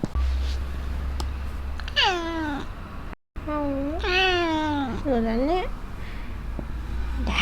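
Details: Black house cat happily meowing for cat grass, its first in days: one descending meow, then after a brief gap a long wavering meow and a shorter one, with a person talking softly in a small room.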